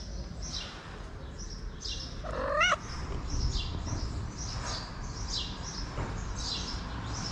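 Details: Hungry three-legged cat, a homeless feral stray, gives one short, rising, wavering meow partway through, approaching to ask for food, while small birds chirp steadily in the background over low outdoor noise.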